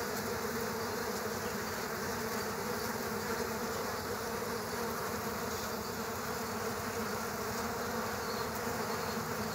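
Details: Continuous swarm buzz from killer hornets fighting bees at a bee nest in the ground, steady and dense, a humming core with a grainy rattle beneath and a thin hiss above.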